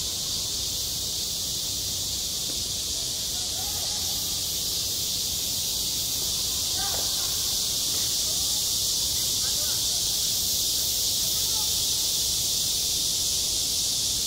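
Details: Cicadas sing in high summer at a school playground, a dense, unbroken high-pitched hiss that holds steady throughout. Faint distant voices drift in briefly near the middle.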